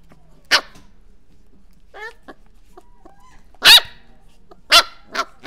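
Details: Corgi barking in a quiet room: three loud, sharp single barks spaced about a second or more apart, with a softer yelp between them.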